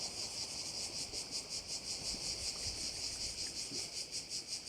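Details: On Korčula, crickets beside a bay give a high, sizzling buzz that swells and fades in regular throbs several times per second, with a soft rumble of wind underneath.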